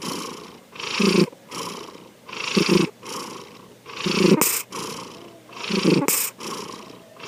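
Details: Asleep, the cat Sankichi snores in slow, wheezy rasps: five breaths with a low, cooing rumble inside each, arriving about every one and a half seconds.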